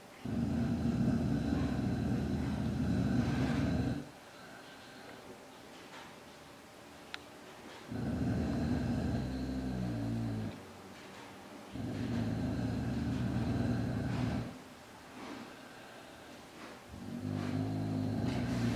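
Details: Dog guarding its food against a hungry tiger cub that stays fairly timid, giving long, deep, throaty growls lasting up to four seconds, four bouts broken by short silences.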